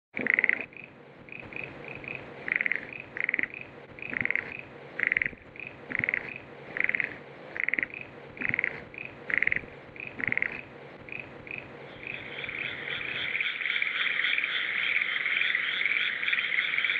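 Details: Small frog calling at night: short bright croaks repeated in a steady series about once every 0.7 seconds, then a continuous shrill chorus of insects or frogs in the last few seconds.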